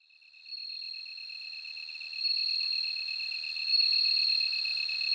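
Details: Bell cricket singing: a high, clear ringing, with a rapidly beaded pulsing trill beneath a steadier pure tone, continuous and swelling slightly in loudness, with no other sounds.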